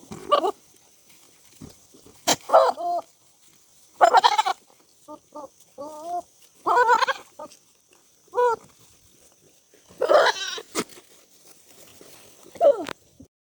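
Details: In a village, a sheep mating gives a run of wavering, nasal, goat-like bleats, each a second or so long.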